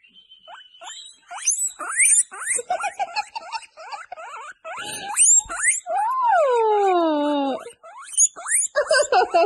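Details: Popcorning baby guinea pigs give loud, rapid rising squeaks, about two and a half per second. A long, drawn-out descending wail with rich harmonics cuts in midway, then the quick chirping resumes.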